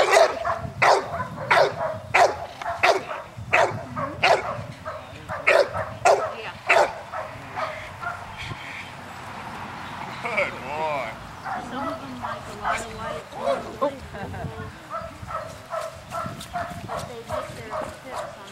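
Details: Training session with Trip, a nine-month-old American Bulldog, June 24, 2007, at ICSC: a rapid run of about a dozen sharp barks roughly every half second for seven seconds, then quieter, irregular barking and yips.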